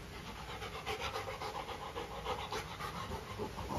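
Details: Pet golden retriever, a female, reacting to her new carabao horn chew toy: quick, rasping pants pulse about three to four times a second, slightly uneven in loudness, breathy and close to the microphone.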